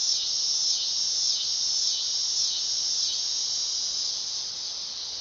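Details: Dog-day cicada song. A loud, piercing, high-pitched buzz pulses in gentle waves roughly every half second, fading slightly near the end.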